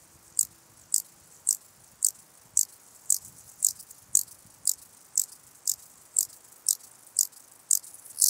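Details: Stauroderus scalaris, the ladder grasshopper, in Muhrtal, Austria, 9 October 2020, producing sharp rasping high-pitched bursts at a steady pace of roughly two per second, each brief and crisp against a quiet background.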